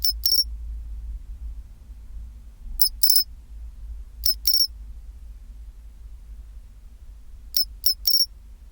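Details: {'caption': "Pine cricket singing at 24°C, its 'chin-chirorin' phrases coming as short ringing doublets and triplets of high clear tones, repeated in clusters every one to three seconds, with faint low rumble beneath."}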